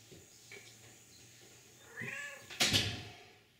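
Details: Senior indoor cat over seventeen years old, at home in Manchester, St. Louis County, Missouri, recorded 30 April 2023: one short, soft meow with a brief rise, then a sharp knock or thump, over quiet room noise.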